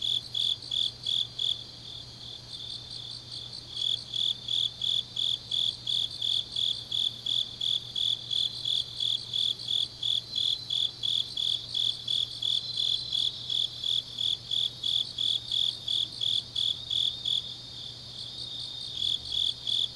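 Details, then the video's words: Grass insects singing on a deep autumn night in Changnyeong, South Gyeongsang, South Korea: a steady high-pitched chirping pulsed about three times a second, with a brief pause near the start and a faint low steady hum beneath. "깊은밤 가을 풀벌레 소리"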